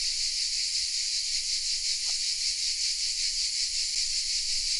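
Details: Cicadas singing hidden in the oak trees of the village of Vézénobres in the south of France, a dense, continuous high buzzing chorus that pulses gently about two to three times per second, with no other clear sounds.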